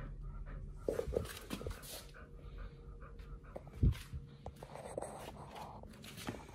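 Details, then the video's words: Two pit bulls, Oliang and Nomyen, eating raw quails and giant sea bass skin on a raw prey-model diet; soft wet chewing, crunching clicks and heavy panting, with one sharp loud crunch near the middle, in a quiet small room. "Pit Bulls eat RAW 🐥Quails&🐟Giant Sea Bass Skin combo [ASMR] MUKBANG 犬が生の肉を食べる[咀嚼音]"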